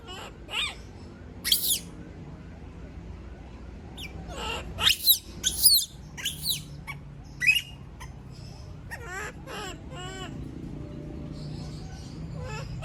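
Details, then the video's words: Female monkey left alone, screaming: scattered high shrieks cluster in a rapid burst near the middle, followed by quavering, warbling wails that fade over a constant low hum. "Sound of monkey berlin scream when all leave her alone, monyet berlin berteriKmak sendirian"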